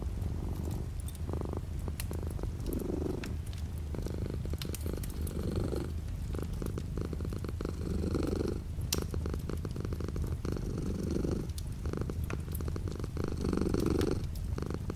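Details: Continuous low purring of a house cat beside a window with light rain outside, the rumble pulsing in fuller waves about every two to three seconds over a soft hiss and tapping of rain.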